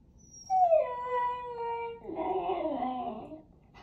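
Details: Siberian Husky puppy in the Pacific Northwest, described as very conversational, lets out one long whining howl. It rises sharply, then holds and slides lower, and ends in a wavering, throaty woo-woo grumble.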